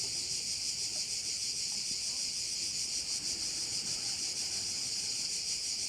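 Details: Crickets calling at one of the bays of Korčula, Croatia: a dense, steady high-pitched shrilling chorus with a soft rhythmic pulsing, many insects overlapping and no pauses.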